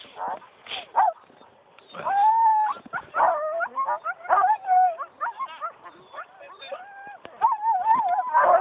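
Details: Husky dogs on a dog ride in Geilo, Norway, 25 January 2012: bursts of high wavering whines and sharp yips from several dogs, overlapping and rising in pitch, separated by short pauses, with people talking in between.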